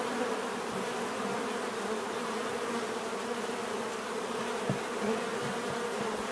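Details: Steady collective buzz of bees, a low-mid droning hum with stacked tones, occasional soft clicks or knocks near the end beneath the unbroken insect drone.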